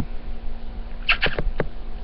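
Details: A male pet chinchilla under a dresser gives a quick cluster of sharp, squeaky chirps against a low indoor hum, after about 20 minutes of such noises; owner guesses a mating call but is unsure.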